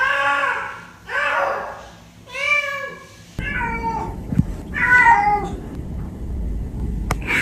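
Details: Cat meowing indoors: three drawn-out, wavering meows in the first seconds, then a pause and a further pair of bent, slightly higher meows amid a low rumbling background.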